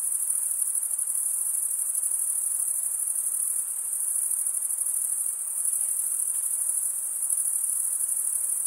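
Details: Continuous cricket chirping from males stridulating by scraping one wing across the serrated vein of the other; an unbroken, very high, even buzzing trill with slight waver in loudness and a low background hiss.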